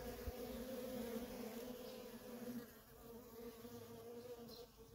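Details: Honey bee workers at a feral colony produce a steady, layered drone with two clear humming tones, continuous and even throughout, with faint hiss in the background.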